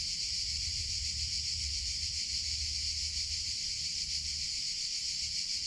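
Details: Cicadas in summer, a continuous loud high buzzing drone, steady and unbroken, with a faint low rumble underneath.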